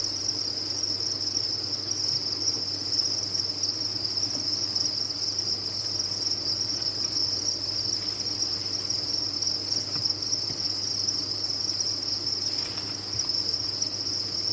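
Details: Crickets kept on a cricket farm, a dense continuous high-pitched trilling chorus with no pauses, a steady bright tone throughout and a faint low hum underneath.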